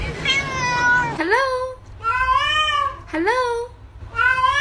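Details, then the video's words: A cat making strange, drawn-out meows indoors: four wavering calls, several swooping sharply upward from a low start and then holding steady, with gaps between them and faint background noise. "strange cat sound"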